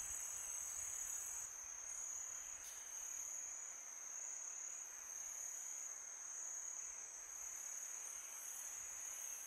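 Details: Crickets sounding through a peaceful summer night, a sustained piercing high trill with a second fainter tone above, accompanied by wind gusts and a few faint clicks.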